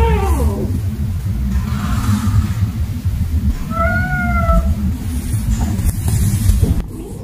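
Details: Kitten named Ona, playing with baskets alongside another cat, gives a short flat, steady meow in the middle of the recording, with a faint falling cry at the start; a woman narrates softly and low background rumble runs throughout.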